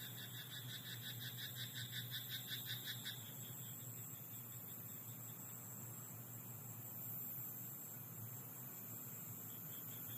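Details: A rice-paddy frog at night delivers a three-second burst of fast, evenly pulsed croaks at the start, then falls quiet, leaving only a low steady hum and faint hiss.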